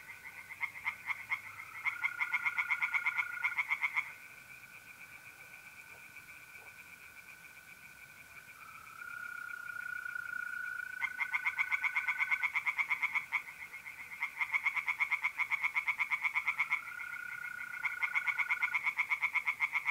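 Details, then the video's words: Pond tree frogs in north-eastern Italy on a mid-April night call in loud bouts of rapid, rattling pulses, separated by pauses, while mole crickets keep up a smooth, continuous trill between bouts. "relaxing singing tree frogs in pond and trilling mole crickets by night"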